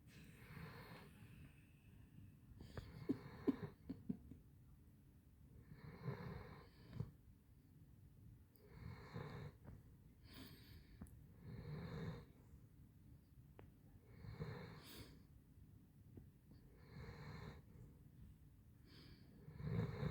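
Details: Handsome Jack, a Basset Hound, asleep and snoring in a small room: rough, wheezy rumbling breaths repeated roughly every two to three seconds, some with a whistling edge, over a quiet steady hum.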